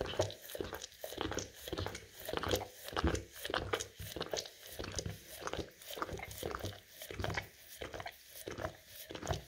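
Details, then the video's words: Indoors, an English cream golden retriever laps peanut butter off rough floor tiles. Fast, steady wet licks repeat well over once a second, each a short slurping rasp, in an even rhythm against a faint room hiss. "Dog Licking Peanut Butter Off Rough Tile Floor"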